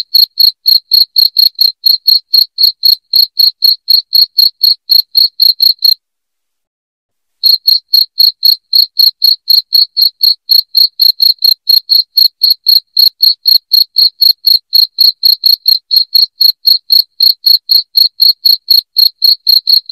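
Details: Loud cricket chirping, played to drive rats out of the house: sharp, high-pitched pulses repeated about four times a second, broken by one silent pause of about a second and a half, with nothing else audible.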